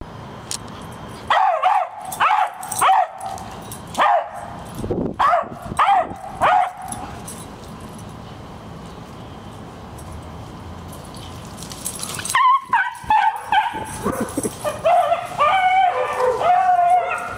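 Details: A female dog that has treed a squirrel barks in quick bursts of high, yelping barks, then falls quiet for several seconds before a faster, more excited run of barks and yips resumes.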